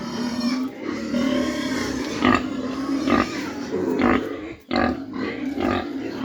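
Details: Mini pigs kept on a farm in Dimapur, Nagaland, producing loud, coarse grunts about once a second over a constant low hum of activity.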